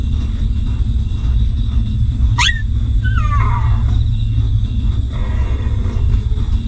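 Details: Hungry newborn puppies suckling from their stray mother: one sharp rising squeal followed by a longer falling whine, then a faint later whimper, all over a steady deep rumbling background.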